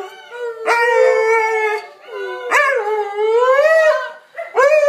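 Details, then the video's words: Several pet dogs howling together as a group chorus: long, wavering, tonal howls that rise and bend, in three overlapping bursts with brief pauses between, layered harmonics, no other clear sounds. "Loki's Song"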